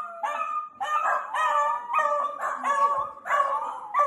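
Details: Miniature Dachshund pup at play: about eight bright, whiny yelps in four seconds, strung tightly together with wavering, slightly sliding pitch and a nasal ring. No background noise.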